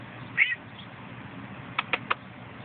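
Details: Male domestic cat, filmed live on a phone, repeats his funny noise when asked to do it again: one short high squeak, then after a pause three quick clipped chirps in a row.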